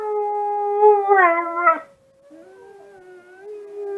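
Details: Husky-mix dog howling in response to wolf sounds heard online, indoors in darkness on a smartphone. A full, wavering howl rises in intensity before breaking off, followed by a softer, thinner tone that rises again toward the end.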